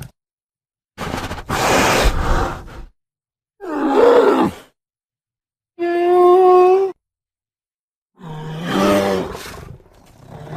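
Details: American black bear. A black bear calls in four separate bursts: a rough, breathy huff, then a throaty grunt. Two longer, moaning bawls follow, one steady and tonal, the last wavering and groaning.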